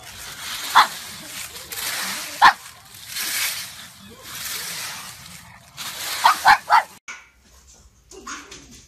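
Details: Single sharp pug barks at first, then a quick cluster of three or four yaps, with people speaking between them and a hissing background.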